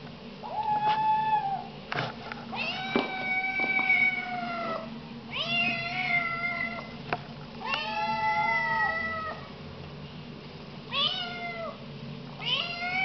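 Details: Several loud meows from young Siamese cats, long wavering calls that swoop up and hold, some shorter and bending, repeated every couple of seconds with light thumps and room noise between.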